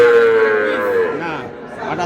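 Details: Bull calf of the Sahiwal breed bought by a Brahmanbaria farmer, Bangladesh, 20 May. One sustained, even-pitched moo lasting about a second, tailing off lower, followed by faint background voices.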